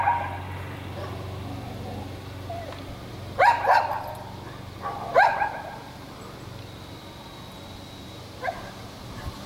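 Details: Curly-tailed red dog of mystery breed stalking a squirrel in a small pine: short yelping barks in clusters, a double bark, then a single, and a last faint yip, with a constant low engine-like drone.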